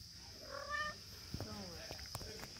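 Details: Young kittens giving a brief, bright meow followed by softer, fainter mews, over a constant high-pitched whine and scattered clicks.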